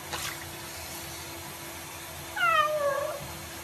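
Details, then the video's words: A cat being showered or swimming gives one short, clear meow that falls in pitch, over a quiet indoor background with faint water noise. "Cats Taking Shower and Swimming"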